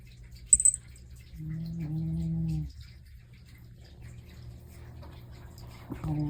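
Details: Domestic cat asleep and snoring: a single low, buzzy drawn-out breath of just over a second, then quiet hum. A faint scratchy rustle and the start of another breath come near the end.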